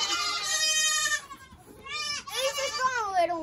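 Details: Baby goat buck born March 31st, heard during kidding season 2022 on a farm: loud, wavering, nasal bleats in long harmonic-rich bursts, with a brief pause between calls and other kids bleating.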